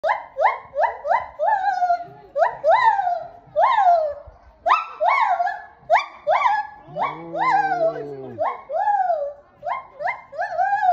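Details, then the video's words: An excited lar gibbon at Maruyama Zoo in Sapporo screams in rapid, loud, hooting notes that swoop up and down. "興奮！シロテテナガザル 絶叫！ Screaming Lar Gibbon, in Maruyama Zoo, Sapporo."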